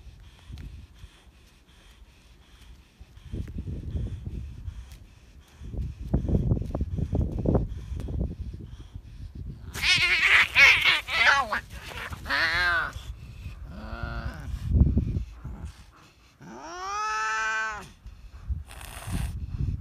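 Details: Cats in a fierce fight: after low rumbling noise, loud harmonic yowls and wails start about halfway through, with bent, wavering tones, a harsh burst, and a final long rising-falling howl.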